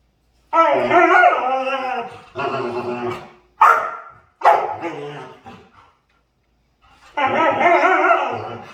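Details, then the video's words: Dog making comical sounds while playing: several drawn-out, wavering, whine-like vocalizations with shifting pitch, each lasting one to two seconds and separated by short pauses, ending after a longer silence with one more long, warbling sound. "Cutest Dog Makes Hilarious Sounds While Playing"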